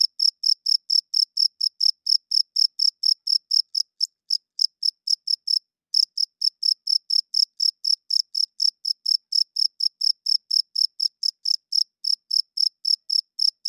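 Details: Cricket calling at night, the male's chirp used to attract females and establish territory; quick, piercing chirps in a steady run, interrupted by a short pause around the middle before resuming, with nothing else audible.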